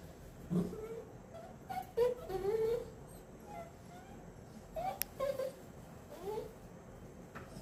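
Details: Stray puppies Kanga and Roo in Puerto Rico, learning to use a doggie door, give short high whining whimpers that rise and bend, in several brief bursts across seven seconds, with a sharp click midway and quiet room noise.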